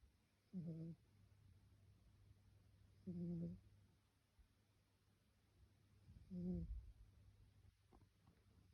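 A Pembroke Welsh Corgi puppy snores in low, buzzy breaths repeating about every three seconds.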